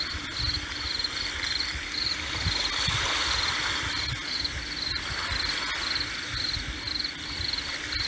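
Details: High-pitched cricket chirps repeat in regular groups with a short pause between them, set against the constant wash and low rumble of sea waves.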